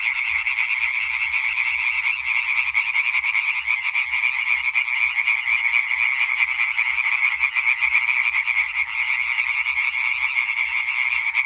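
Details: Massed Hyla arborea singing concert dated 20.05.2023, a continuous rasping chorus of rapidly repeated croaks layered from numerous tree frogs, even and loud, with no other clear sounds.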